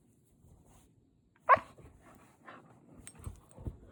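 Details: Siberian Husky during morning play, giving one sharp loud bark, then a few softer short yelps and snuffling sounds, with a person speaking briefly just before.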